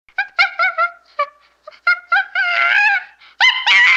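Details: Chimpanzee chattering and screaming: short harmonic barking calls in quick bursts, then rising into a long, loud, strained scream and sharp shrieks at the end, with no other sounds.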